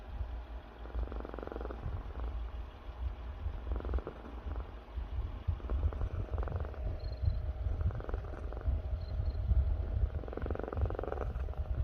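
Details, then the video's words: Sleeping pet cat giving a slow, rhythmic snore. Five raspy breath bursts, each roughly two and a half seconds apart, rise over a constant low hum in a quiet room. "코 고는것도 귀여움"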